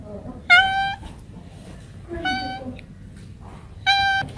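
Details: Three even, steady, nasal cat meows separated by gaps of over a second, with soft talking and low room noise underneath.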